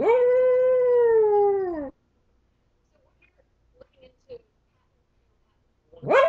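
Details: Domestic dog left alone, howling: one long steady tonal howl of about two seconds that falls at the end, a quiet stretch with a few faint soft sounds, then a new howl rising sharply at the close.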